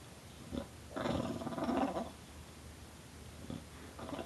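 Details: Tulip, a bulldog, snarling and growling in one rough, rolling gobble lasting about a second, with faint grunts before and after as someone urges her on.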